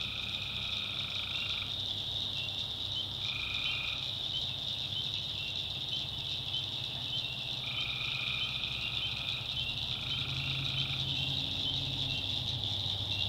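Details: Tree frogs calling at night in the backwoods of North Carolina swamp: a dense, steady high-pitched chorus with a lower buzzy trill recurring in bursts of one to two seconds, separated by short pauses.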